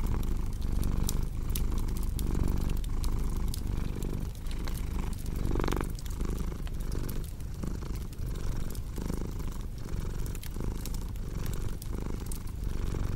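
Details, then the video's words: Purring cat giving a steady low vibration in repeated breath pulses, one inhale slightly louder and brighter midway, while a fireplace crackles and snaps throughout. "Purring Cat with Cozy Crackling Fireplace Sound"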